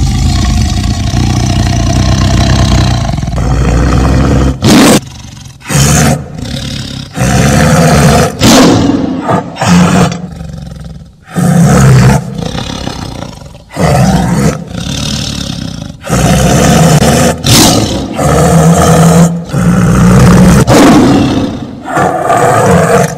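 A tiger gives a series of deep, rasping roars, each a second or two long, separated by brief pauses.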